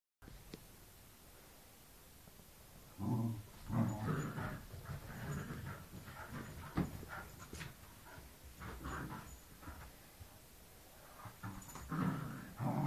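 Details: Wire Fox Terrier Snowy with puppy Winnie during a game of tag and tug; low, rough grumbling bursts and panting start after about three seconds and recur irregularly, with scuffling noises.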